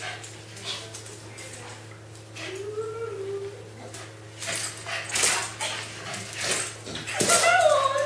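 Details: Fergie, a female Staffordshire Bull Terrier, jumps for a helium balloon after finding the loose end of its string. She gives thin, rising and falling whines at intervals, with voices and knocking in the room.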